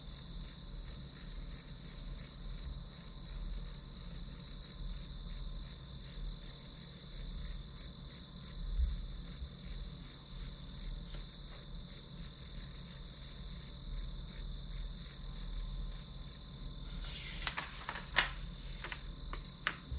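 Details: Grass insects sounding as background for a one-hour study session: a steady high ringing tone under rapid, evenly pulsed chirps that run throughout, with a burst of rustling handling noise near the end.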